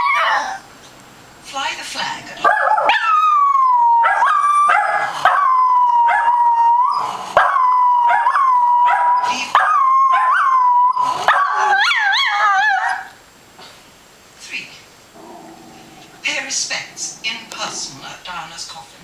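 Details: A female pet Scottish Terrier joins in as another dog, a westie, barks at animals on TV, giving her odd bark that is more of a howl: a long, steady, wavering howl lasting about ten seconds, opening with sharp barks and followed by quieter voices.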